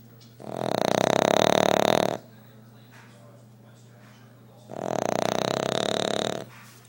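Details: A fat sleeping dog snoring very loudly indoors: two long, harsh, rasping breaths about two seconds each, separated by a quiet pause of about two and a half seconds.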